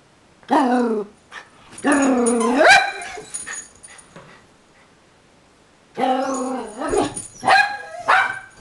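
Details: Blind dog Pickle barks without seeing what she is barking at. Three bursts of drawn-out, strongly harmonic bark-howls, each wavering in pitch, are separated by stretches of near silence. A short sharp yip comes near the end.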